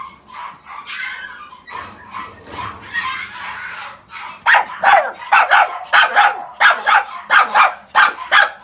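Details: Male Chihuahua × Poodle mix dog, born 26 September 2018, giving soft whines and yips that build into a rapid run of sharp, high-pitched yapping barks, roughly one or two per second.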